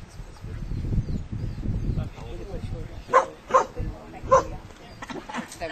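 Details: Eva, a Koolie herding dog, meeting moving sheep at a Brad Pellow herding workshop as her instinct kicks in; three sharp, loud barks at about three to four and a half seconds, after a stretch of human talk over low rumbling background noise.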